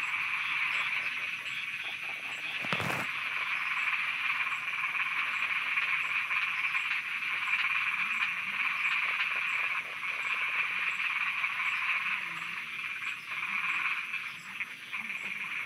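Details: Frogs croaking at night in Thailand: a dense, continuous chorus of rapid pulsed calls centred in a bright mid-high band, with a faint high insect-like ticking above and one brief sharp broadband click partway through.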